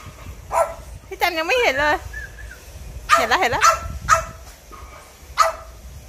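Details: French Bulldog from a pet family of three named Pierre, Cherry and Meringue, giving wavering, yodel-like whining howls near the start and again around three seconds, followed by short sharp yips, while people talk in Thai nearby.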